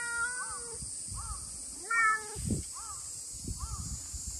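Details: Chatty stray cat, brown tabby with white, meowing a greeting in the heat: one long meow, then a string of brief chirping mews with soft rustling and thumps underneath and a steady high hiss.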